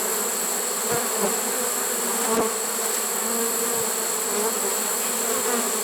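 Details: Late-season honey bee swarm in a trap, recorded September 1, 2019, giving off an even, low collective drone with occasional soft thumps against the box.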